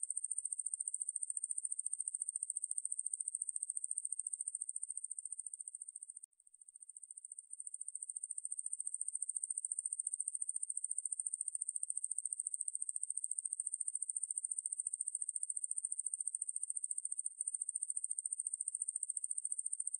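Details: Ruspolia lineosa (왕매부리), a katydid, from a 2020 National Institute of Biological Resources recording: a sustained thin, very high buzzing trill of rapid ticks that dips briefly near the sixth second, then resumes evenly.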